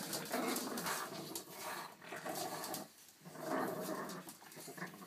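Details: Young Boston Terrier puppies play-fighting together, producing rough, rumbling growls in two main bursts separated by a short lull, over continuous scuffling noise.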